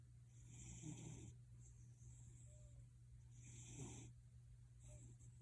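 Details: Pet cat Gildong purring with a deep, snore-like rasp, breathy bursts rising and falling about every three seconds over a steady low hum.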